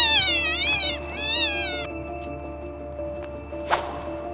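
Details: Pet cat whose loud meowing during a house fire woke a sleeping man: two quick wavering meows in the first two seconds, then a steady soft musical drone and a short click.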